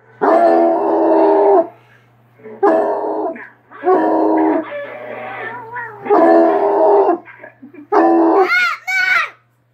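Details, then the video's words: Treeing Walker Coonhound barking in response to a hound heard from a screen: long drawn-out bawling howls repeated about every two seconds, five in a row, over a steady low hum, ending with higher yelping calls. "treeing walker coonhound barks hound on youtube."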